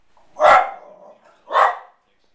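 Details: Pembroke Welsh Corgi barking at baseball pitchers on television, upset that they never throw the ball to him; a loud bark with a short trailing tail, then a second abrupt bark a second later.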